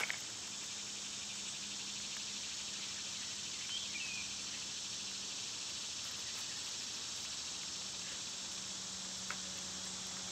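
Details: Summer cicada chorus forms a dense, continuous high buzzing wash with no breaks, over a faint low steady hum and a few soft clicks.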